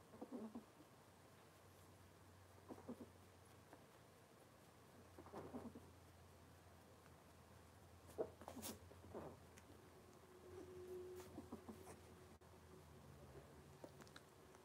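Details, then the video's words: Cavalier King Charles Spaniel puppies from Robin's litter, indoors on a kitchen cam, giving soft short grunting whimpers and then a drawn-out low squeal, over a steady background hum. "Cavalier Puppy Live Stream: Robin's Puppies"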